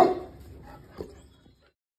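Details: Boerboel charging at a deer while protecting its home: one loud, deep bark at the very start that fades quickly, followed by a faint short sound and then near silence.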